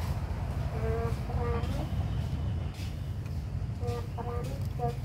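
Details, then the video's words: Abandoned kittens at play, friendly, giving short high mews in two small clusters near the start and again near the end, over a steady low engine-like rumble. "Very lovely little abandoned kittens playing they are friendly"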